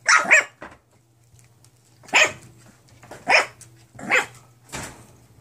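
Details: Mixed-breed foster pups aged nine weeks, indoors, letting out a quick double yip, then four evenly spaced, shrill single barks about a second apart, with a low electrical hum in the background.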